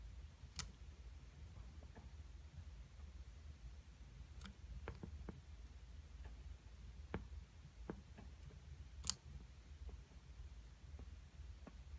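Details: Scattered sharp clicks and taps sound over a quiet, low room hum, with no calls or song.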